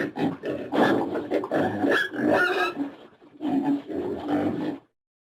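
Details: Pig uttering low, throaty grunts in two continuous rumbling bouts split by a brief lull.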